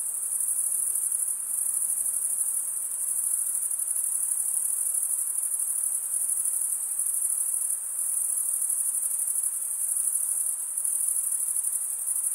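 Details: Male crickets stridulating, chirping by rubbing one wing's toothed vein against the other: a dense, unbroken high-pitched trill that holds steady throughout, with a faint hiss beneath and no other sounds.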